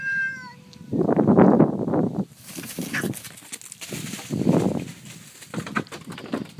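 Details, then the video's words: Two domestic cats, an orange one and a black neighbour's cat from two houses down the street, fighting over territory during the day, a nightly battle for the last month; loud harsh growling yowls in bursts, a brief tonal whine at the start. "Two cats arguing"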